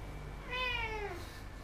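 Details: Pet cat indoors making a single clear meow that rises slightly then slides down, strongly harmonic, heard over a faint low hum.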